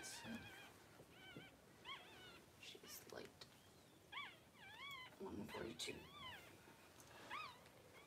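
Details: Newborn Cavalier King Charles Spaniel puppies during a litter of six born within two hours to the mother, Daisy: thin, high arched squeaks with bent, wavering pitch, repeated irregularly and sometimes overlapping, over quiet rustling and faint low murmuring.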